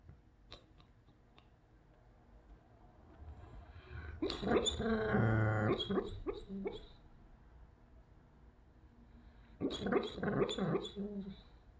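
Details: Doberman dreaming in his sleep indoors, one of his quieter dreams; soft muffled woofs and whimpering huffs in two bursts, a longer grumbling run in the middle and a shorter one near the end, with faint clicks between.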